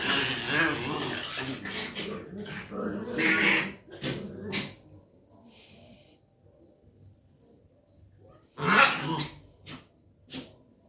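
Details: A Miniature Schnauzer gives a run of sharp barks mixed with rough growling, then a loud bark after a pause.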